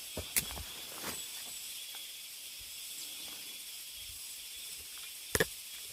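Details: Cicadas calling deep in a mountain forest: an even, high buzzing wash runs throughout, broken by a few sharp clicks or snaps near the start and again near the end.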